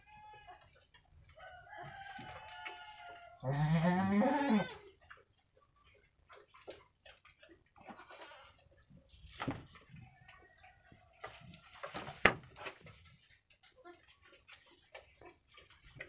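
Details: Two female goat kids about one week old, crossbred from Jawa Randu goats, playing inside their pen; one loud wavering bleat of just over a second early on, followed by quieter rustling, clicks and faint background calls.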